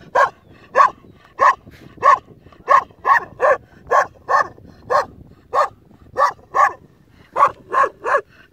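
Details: Young Kangal dog left alone to guard a sheep flock, giving a long run of about eighteen steady barks roughly every half second, each bark short and mid-pitched.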